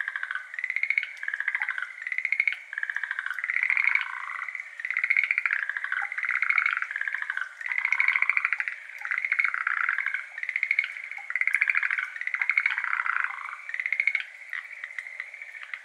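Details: Chorus of Schlegel's green tree frogs, endemic to Japan, at a water-filled iris garden on the evening of 17 May 2022. Rapid rattling trills rise and fall in waves about every two seconds, overlapping continuously.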